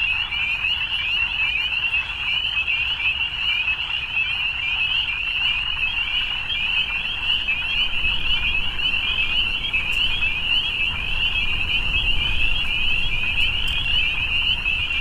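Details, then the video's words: Frogs calling in the evening: a dense, unbroken high trilling chorus that holds steady for the whole stretch, over a low rumbling background. "Evening Frogs"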